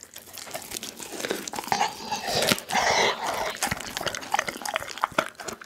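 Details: Pit bull Daggy chews through a whole chicken indoors, recorded with an Insta360 ONE R camera. Rapid crunches at roughly two per second, with a louder stretch of wet gnawing and tearing around the middle.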